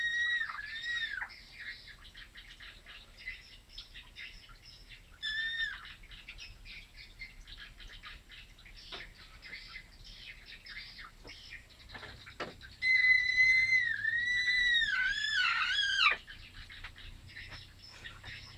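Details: A grey Persian cat gives short high cries early on, then a loud sustained wavering cry with sliding, falling glides for about three seconds, against a steady background of small birds chirping outdoors.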